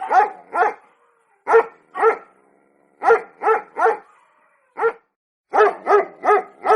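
A Pomeranian gives sharp, high yappy barks in quick pairs and bursts, with brief pauses between.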